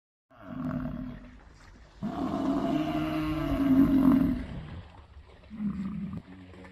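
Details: Gaur in South Asia giving deep, drawn-out bellowing moans: a short low call, then a long resonant bellow of about two and a half seconds, and a further brief low call near the end.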